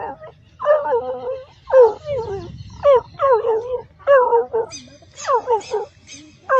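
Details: Dog giving a series of short, wavering, howl-like yelps that rise then slide down, about one every second. A few higher, squeakier notes come near the end over quiet background rumble.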